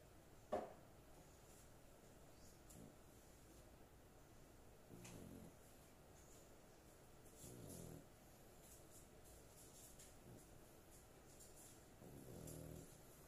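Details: Sleeping female dog snoring in a small room. Low, rough rumbling breaths come in slow bursts every two to five seconds, with one sharp knock near the start.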